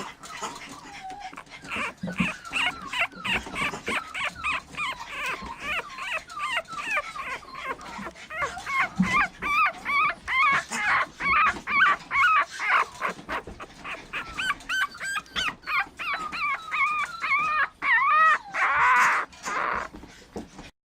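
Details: Young female Toy Poodle, red coat, born 24 December 2013, expected teacup size; a long run of shrill piping whimpers and yelps, growing louder and more insistent toward the end, with quick wavering pitch.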